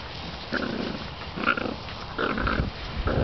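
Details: Seven-week-old Bull Terrier puppies give short, rough growls and squeaky yips in bursts about a second apart while playing, all fighting over the same gardening glove.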